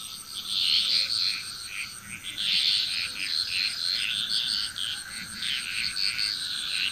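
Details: Dense chorus of frogs from Bali, Indonesia, rapid rattling and croaking calls overlapping in pulsing waves about every second or two, backed by a constant shrill high buzz.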